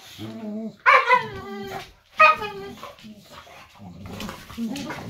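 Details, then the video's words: Pet boxer dog talking at home, one of a pair: two loud, short, harmonic yowling calls about a second apart, each sliding down in pitch, followed by softer grumbling and human voices. "Boxer Dog Talk"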